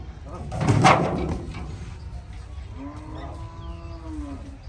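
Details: Cow unloaded from a truck at a popular village cattle market in Bangladesh; after a loud thump, a drawn-out level moo holds for about a second and a half over background crowd noise.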